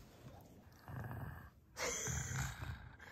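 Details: Kongjwi, a six-year-old female pug, turns fierce while guarding a bone treat: a low, rumbling growl comes in two stretches, a softer one first, then a louder, rougher burst that carries to the end.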